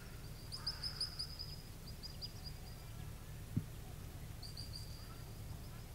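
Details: Little ground squirrel on the Beglitskaya Spit: short, high whistled notes in quick series of four or five, twice near the start and again near the end, over a steady low rumble of wind.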